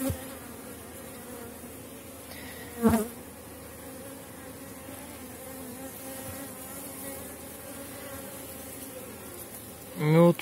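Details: Buzzing honey bees crowding a frame of honey, bee bread and brood, lifted from a very strong colony at season's end. A continuous even drone with handling thumps near the third and tenth seconds.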